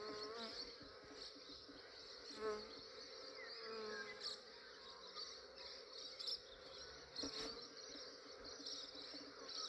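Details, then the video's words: Massive honey bee swarm in Australia, collected early in the morning before the day warmed up and the bees grew active: dense, steady droning hum with layered tones and a constant high hiss above, plus a few soft knocks. "Capturing a massive bee swarm"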